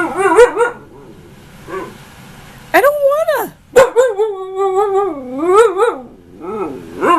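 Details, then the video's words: Ankita, a female husky nearly one year old, argues with her owner: long, bending, yowling vocal phrases that rise and fall in pitch, some drawn out over a second, with brief human scolding between them. "Husky, Ankita argument. Wait, what was I arguing about?"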